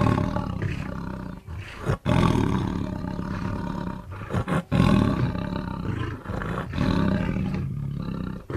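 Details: Tiger roaring: deep, rumbling bursts heavy in low pitch, with brief silent breaks near the two- and four-second marks between sustained loud stretches.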